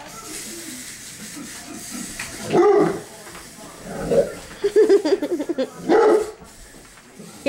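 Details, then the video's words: Dozer, a seven-month-old male English Mastiff, chasing a remote control buggy car around the house: several loud, deep bark bursts spaced a second or two apart, mixed with people talking and laughing close by indoors. "English mastiff going crazy over remote car"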